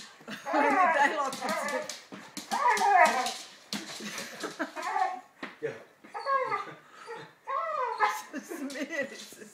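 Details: Young Labrador Retriever, 11 months old, named Lenny, vocalising while playing with a new ball on a speak command: short rising-falling whimpers and yips about every two seconds, mixed with a person repeatedly asking for the ball.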